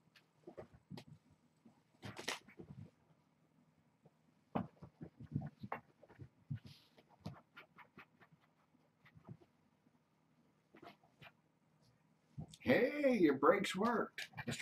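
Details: Hungry kittens at Purrfect Pals, born to Janine, a mother cat rescued as a stray near Tulalip, Washington, play rambunctiously before breakfast; soft taps and scuffles, then a loud, harmonic meow wavering up and down over the last two seconds.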